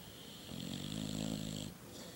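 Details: Dog snoring in its sleep, one drawn-out, buzzing, throaty snore of about a second, rising and then fading.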